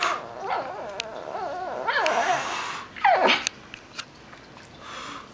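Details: Grumbling female Shih Tzu that sings rather than barks: soft, wobbling moans rising and falling in pitch, then a sharp high whine sliding downward, followed by quieter murmurs and faint clicks.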